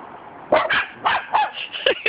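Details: Cockapoo dogs bark at a cement dog statue in a run of sharp, high, yappy barks, about one every quarter to half second.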